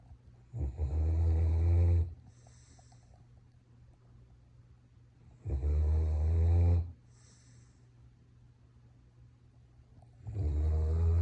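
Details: A sleeping pet German Shepherd snoring indoors: three long, deep, rasping snores, each lasting about one and a half seconds, separated by quiet pauses of roughly three seconds, with soft breathing between them.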